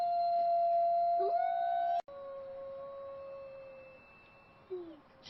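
Long, steady wolf howls held on a clear mid-pitched note, with a brief upward slide.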